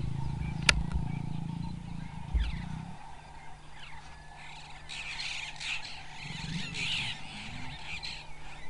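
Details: Male lion Sjambok and lioness Manyari mating beside her wildebeest kill; a loud, low snarling growl fills the first three seconds, then fades to a softer rumble, with bird chatter and a constant hum behind.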